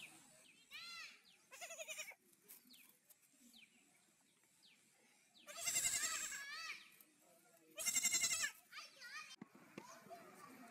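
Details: Young goats bleating: two loud, shaky, scream-like bleats stand out amid softer, shorter calls and chirpy squeaks, with quieter gaps of low background noise between them.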